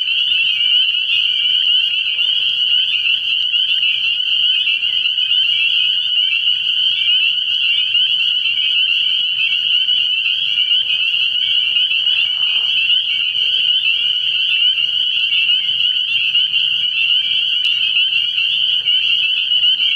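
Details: Spring peepers at a frog pond at night early in the year, a sustained dense chorus of shrill high peeps that never lets up across the whole stretch, with a quiet low drone underneath.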